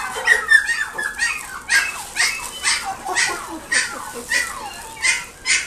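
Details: Pekingese puppy at a pet shop in Nagoya, Japan, giving a run of high whining yelps roughly every half second, short rising-falling cries with faint background chatter.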